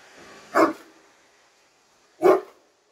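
Two deep, booming barks from a Great Dane, spaced well apart with quiet between them.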